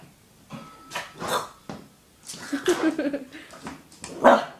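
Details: Shih Tzu puppy Cruzz barking at a bottle of Budweiser beer he dislikes for its look or smell; a few short, sharp yaps spaced irregularly over several seconds, with a person's voice talking in between.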